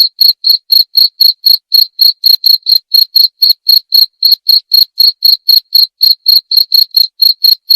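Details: A cricket chirps in a fast, regular rhythm of about four high, trilled pulses per second. The sound is offered to scare off rats and for calm nature-like sleep; no other sounds are present.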